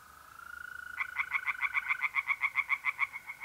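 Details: Night pond in north-eastern Italy in mid-April: a steady mole cricket trill leads in, then tree frogs break into fast, loud, evenly repeated croaking pulses, roughly four a second, to the end.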